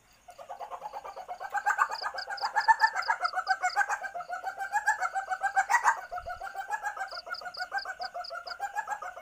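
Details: In heat, an Asian palm civet gives its lure-worthy mating call: dense, rapid chattering pulses that swell and fade, roughly four per second, with a short high clicking series and one brief low thump.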